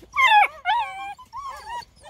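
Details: Several Bluetick Coonhound puppies aged eight weeks calling together in quick high yelping whines that bend up and down, three bursts in about two seconds.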